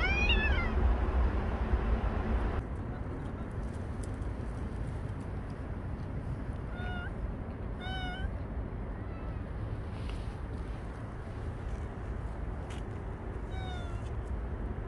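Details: Bolt, a stray cat that lived near its carers for one year and five months, filmed for the last time; short harmonic meows, one at the start, then a cluster of meows about a second apart near the middle and another near the end, over a steady low rumble.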